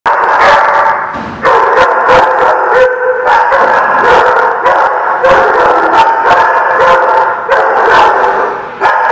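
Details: Dogs at a barking lot recorded on 23 May 2016, a dense chorus of overlapping barks and howls, loud and continuous with sharp bark bursts every fraction of a second.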